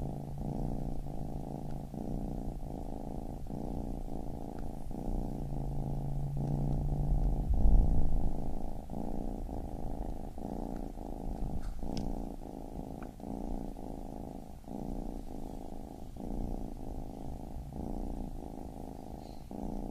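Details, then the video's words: Baby kitten purring steadily, a low rumbling buzz broken by brief pauses roughly every second as breaths alternate, fairly even in loudness with soft background hiss. "Baby Kitten Purring"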